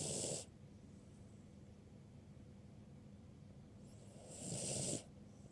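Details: Birdie, a ruby Cavalier King Charles Spaniel, snoring while asleep at medium volume. Two rasping, breathy snores, one at the very start and one near the end, with quiet breathing between them.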